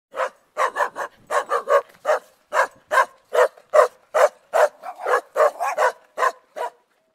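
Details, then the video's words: Aggressive Tibetan Mastiff barking steadily: about sixteen loud, deep, harsh barks in seven seconds, some in quick pairs, roughly two or three per second, with no other sounds. "Tibetan Mastiff aggressive dog"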